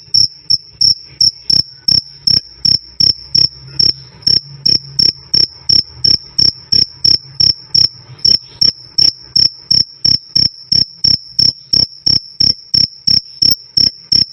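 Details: Loud, clean cricket chirping, the "krik krik" used as a training track for cage birds like lovebirds and shamas. Evenly spaced, shrill pulses come roughly three each second at one unchanging pitch, with no other sound.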